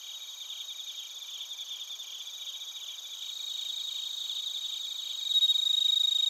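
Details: Crickets and bell crickets in Narita, Chiba, Japan, give a dense, high trilling chorus with quick regular pulses. Near the end, a louder, clear ringing tone rises above the rest and holds steady.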